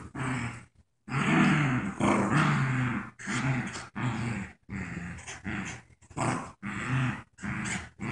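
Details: During tug of war, the paralyzed puppy Joy and her playmate Wicket growl; a long low rumble opens, followed by shorter growling bursts roughly every second in an irregular rhythm.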